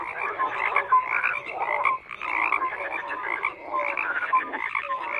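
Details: A crowded frog chorus of rasping, pulsed croaks layered with brief whistled notes, swelling in bursts with a short lull near the two-second mark.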